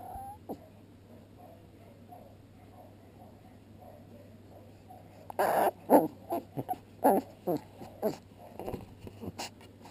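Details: Pembroke Welsh Corgi puppies, one chewing on another puppy's paw, filmed 22 June 2013: a few soft, thin whines at first, then a run of loud, short squeaky yelps and grunts about twice a second near the end.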